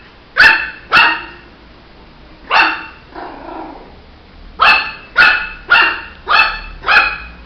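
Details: Shih Tzu puppy barking: sharp, high yappy barks with bright harmonics, a pair at the start, one near the middle, then a fast run of five barks, about one every half second, over a quiet indoor background.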